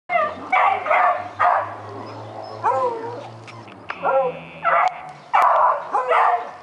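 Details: A puppy named Daisy barks at a rabbit, wanting to get it: short sharp barks in uneven bursts, several with high whining yelps, and a low hum running under the first seconds.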